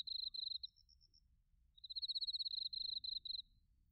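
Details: Crickets chirping on an autumn night in Narita, Chiba, Japan, captured with a TASCAM Portacapture X8: short bursts of fast, high pulses, a faint thin ringing note between them, then a longer run of pulsed trills.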